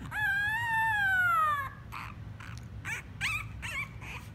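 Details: A French Bulldog puppy in Miami Beach gives a long, wavering howl that slides slightly downward, followed by short yips.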